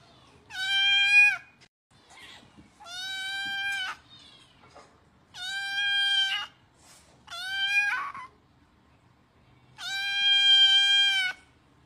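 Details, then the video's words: Hungry kitten begging for food with five high, strongly harmonic meows, mostly long and level, one shorter and wavering, spaced two to three seconds apart; little else audible indoors. "Anak kucing memintak makan"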